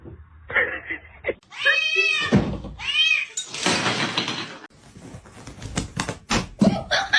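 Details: Two arched meows from a cat follow each other quickly, each rising then falling in pitch, amid rustling, knocking and human voices indoors.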